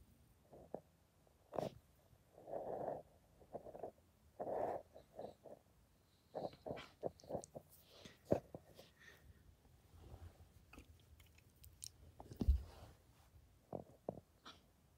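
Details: Pablo, a Samoyed, greets with short moaning, talk-like vocal bursts in the first five seconds, followed by scattered snorts, sniffs and soft clicks with quiet pauses between.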